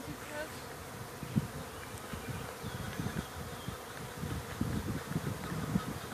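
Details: Honey bees emerging and swarming busily around their hive after a rain shower, a steady low hum of countless wings with frequent close fly-bys swelling and fading over a constant drone.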